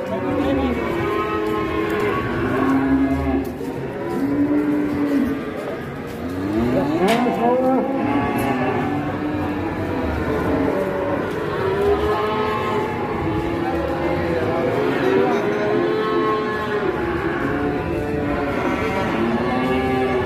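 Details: Cattle at an Indonesian livestock sale, where a huge cow draws a crowd in the morning and is bought without haggling. Many overlapping drawn-out moos rise and fall continuously, with some constant background noise.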